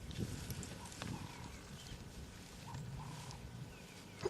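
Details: Young African buffalo, seemingly annoyed, gives short, deep, guttural grunting bellows in rough bursts during a morning game drive, 27 May 2020, Sabi Sand, South Africa; bellows carry far and may attract predators; faint bird whistles behind.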